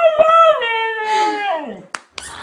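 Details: Dog 'talking' with its owners: a sustained moaning howl that glides steadily lower and fades, followed by two brief sharp noises.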